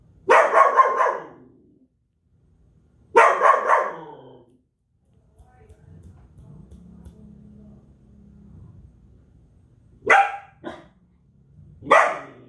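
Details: Belgian Malinois barking: two long harsh barks early, then a quiet stretch with low humming background, followed by short sharp single barks near the end.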